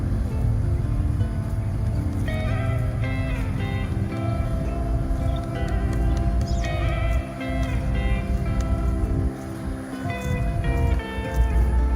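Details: Loud instrumental music with plucked, guitar-like notes over a deep, steady bass throughout.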